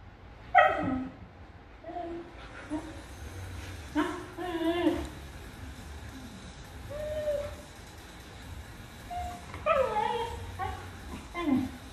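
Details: Female dog protesting at not getting what she wants: drawn-out whiny yowls and grumbling moans in irregular bursts, some rising then falling, over low background hum, with a person's voice talking to her.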